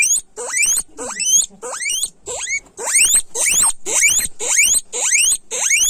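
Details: Loud guinea pig squealing, a steady run of upward-sweeping shrill wheeks, each starting lower and climbing steeply, nearly two per second, harsh and piercing with little background sound.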